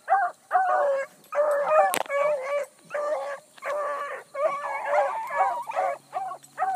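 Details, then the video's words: Early-morning chase by a pack of Bluetick Coonhounds, with a new pup learning, on a big running rabbit that circled a couple of times: nearly continuous chorus of loud overlapping bawls and chops with a sharp click midway. "THE BLUE'S ON A BIG RUNNING RABBIT"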